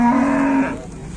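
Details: A fat cow, described as pitiful, gives one loud, steady low moo lasting about half a second, then fades into quiet background murmur.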